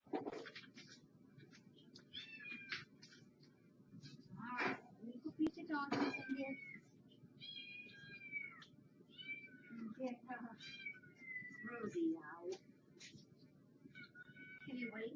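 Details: Domestic cat meowing repeatedly, short rising-falling harmonic mews scattered through the recording, several drawn-out, over a steady low hum, with a woman talking at times.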